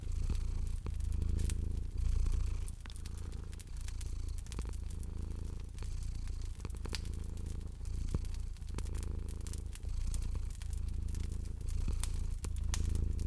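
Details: A cat sleeps and purrs next to a crackling fire indoors in spring. Deep vibrating purring comes in regular breath-linked surges about once a second or two, with bright crackle pops from the burning logs throughout.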